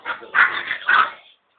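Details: Silky Terrier producing two loud, sharp barks about half a second apart, preceded by a softer yip, then a short pause before another bark begins; no other sounds.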